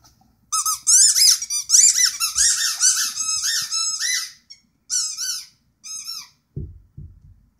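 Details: Rhodesian Ridgeback singing indoors in a small room: high, squeaky, wavering tones that rise and bend in a run lasting about four seconds, then two shorter wavering notes, followed by a couple of soft low thumps.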